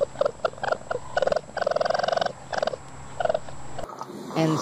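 A raccoon chatters in quick, pulsed bursts, a rapid stuttering trill used to communicate.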